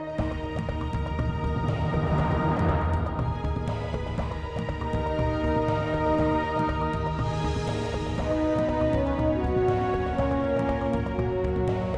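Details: Dense, dark orchestral music plays throughout with sustained tones, and no animal call stands out.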